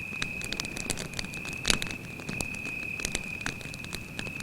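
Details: A cricket sings at night near a campfire in the forest: one continuous, even, high trill holding a single pitch, overlaid by snapping fire crackles and one louder pop midway.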